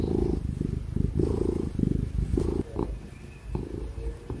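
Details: Loud purring from Tig the ginger cat as it is petted, strong rumbling bursts in quick succession that fade to a softer purr after two seconds, laptop fan noise behind.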